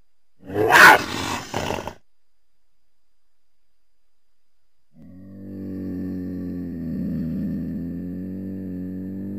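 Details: Cougar, or mountain lion: a short, harsh, breathy burst like a hiss or snarl, then silence, then a steady, low, droning growl with rich harmonics that holds for several seconds.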